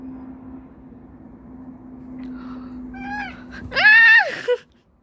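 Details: House cat yelling at its owner: a short, soft, falling meow, then a loud, drawn-out meow that rises and falls in an arch before cutting off, over a steady low hum.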